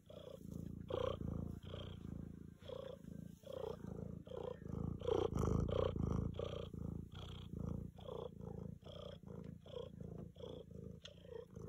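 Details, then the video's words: A female tabby domestic cat sitting on a treadmill purrs loudly in steady, rumbling pulses that swell and fade with each breath. "Tiger Cat Staying On the Treadmill and Purring Loud"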